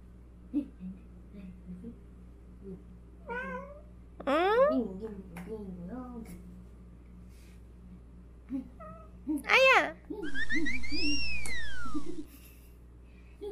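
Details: Domestic cats indoors, a calico tabby and a black cat at play, giving several meows: short rising-falling calls, a loud drawn-out wail near the middle, then a high arched cry, with a person's voice and a sustained electronic tone.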